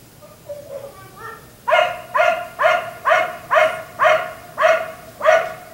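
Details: Black Lab left outside until 1am: soft whining and yelping notes build up before a burst of seven loud, regular barks repeated roughly twice per second.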